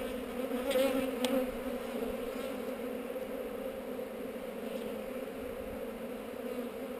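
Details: Steady colony hum from a honey bee hive on heather, opened for inspection and recorded on a GoPro. An even, droning buzz holds without pause, with a faint brief higher tick near the start.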